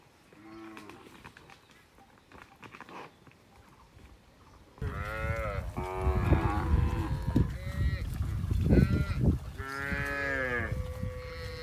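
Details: Village cows in a peaceful rural setting moo repeatedly: a faint call at first, then several loud, drawn-out harmonic moos over a heavy background of low rumbling and clatter.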